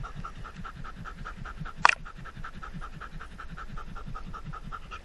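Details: Close, regular panting from Indy, a Standard Poodle at the lake with a GoPro strapped on during a hot day above 100 degrees; fast breaths around four each second, with one sharp click midway.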